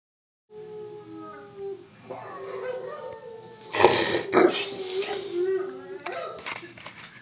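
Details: Pet Rottweiler at home howling in imitation of a recording of his own hoarse morning howl: a steady, drawn-out tone with rich overtones, then louder noisy bursts midway and a wavering finish.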